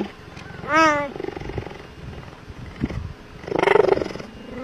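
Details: Cheetah (Acinonyx jubatus), call.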